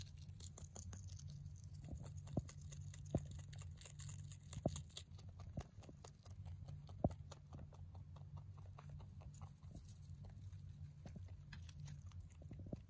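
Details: Male mini rabbit, born November 2020, eating hay: soft, irregular crunchy clicks from chewing scattered through the clip, a few louder snaps, over a steady low hum.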